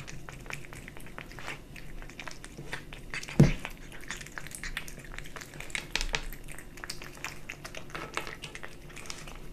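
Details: A kitten eats dry and wet cat food: soft, regular chewing and crunching with a single loud thump partway through, over a low, even hum.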